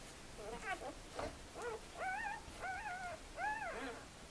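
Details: Two-day-old puppies in a litter; a run of short, thin, arched whining squeaks, about six in four seconds, over a faint hiss.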